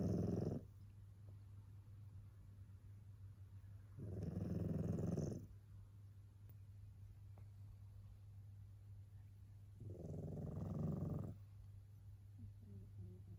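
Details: Yukichi, a sleeping tabby cat that snores almost like a human, gives three rasping snores, each lasting about a second, separated by several seconds of quiet, over a constant low electrical hum.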